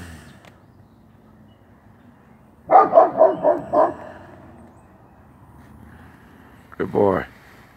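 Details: Working line German Shepherd guarding its yard, giving a rapid burst of about five harsh barks, a pause of some three seconds, then one more short double bark; a person's voice is heard near the start.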